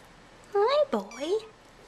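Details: Young bottle-fed kitten coming out of its tent in an indoor nursery at feeding time. Two quick high mews run together, the second sliding down then up, with a faint voice nearby.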